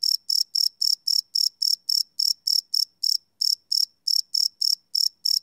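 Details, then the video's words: Crickets at night, recorded live on a Sony PCM D100: shrill, regular chirps near four per second with slight unevenness and a short break in the middle. Nothing else heard. "Cricket Chirp Sound - Cricket Sounds at Night"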